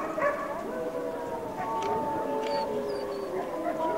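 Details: Pack of wolves howls behind a female greeting her hand raisers; several steady, sustained howl tones overlap, with faint higher yips and nearby human presence.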